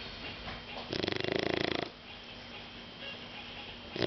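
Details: Drowsy Shar Pei dog Caco gives one buzzing, vibrating snore of about a second, then quiet breathing, with another snore just starting at the end.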